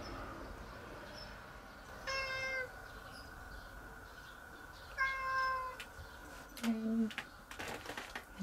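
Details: A stray cat gives a varied series of calls, described as sounding like 'uun', 'aan' and 'nyaan'. There are two clear, drawn-out meows about three seconds apart, then a short, low, moaning call, with light handling noises at the end.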